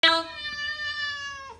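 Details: A house cat answers with one long, steady, clear meow that starts with a sharp onset and ends with a small downward drop.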